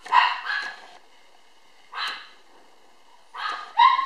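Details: A black female toy poodle puppy, born 22 July and at a Kyoto breeder, barks in brief, high yaps with a bright, harmonic ring, in uneven bursts of two, one, then another pair, with quiet gaps of about a second.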